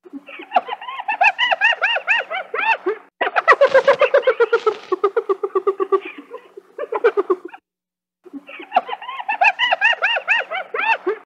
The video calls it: hyena sound